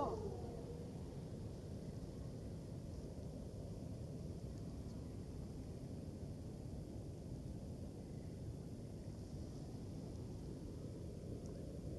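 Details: Quiet outdoor low rumble, like distant traffic or wind, throughout, with no clear animal call.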